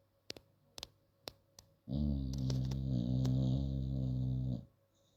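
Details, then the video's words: A sleeping female bulldog gives one long, harsh, low snore of nearly three seconds, grinding and steady, after a few sharp clicks. A constant faint hum sits underneath. "she snores like a drunken man"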